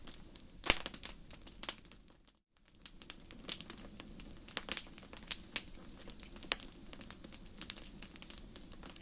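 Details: High, steady cricket trills in short repeated bursts on a starry forest night, heard through dense crackle of a nearby campfire, with a brief moment of near silence early on.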